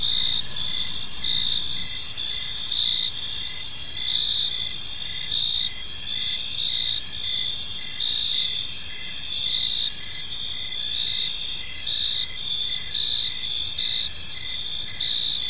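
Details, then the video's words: Evening chorus of crickets in a park: continuous shrill, stacked trilling with rhythmic pulsed chirps woven through it, unbroken throughout, with a soft low hum beneath. "Cricket Sounds in a Peaceful Park"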